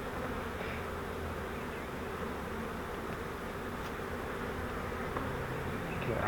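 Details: Swarm of honeybees caught in a custom flowerpot swarm trap and moved into a Langstroth hive: a steady, dense buzzing roar with a low hum underneath and faint handling noises, unchanged throughout.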